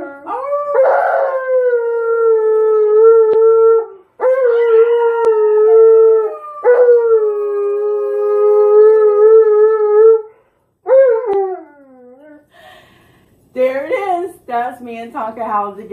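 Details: Tonka the dog howls alongside its owner in a series of four long, drawn-out tones that dip slightly, with brief gaps between. The clip closes with shorter, wavering, yodel-like cries.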